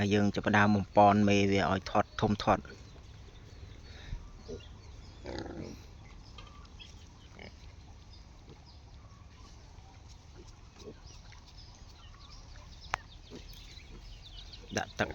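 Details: Wild boar cross pigs kept on a farm in hot weather, given water to drink and to soak in. Short harmonic squeals fill the first two seconds, then quiet pen noise with faint knocks and scattered speech.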